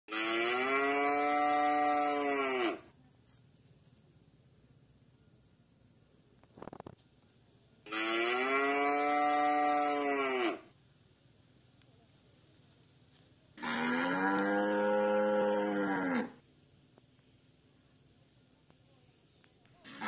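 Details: White village cattle roaming free in a garden, fattened by grazing loose in fields, tame around people: three long, loud, harmonic moos about three seconds each, separated by quiet pauses.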